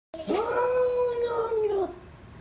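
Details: Cat making a weird noise: one long, drawn-out wailing yowl lasting nearly two seconds, steady in pitch with a slight rise at the start and a falling end, rich in overtones, in a quiet room.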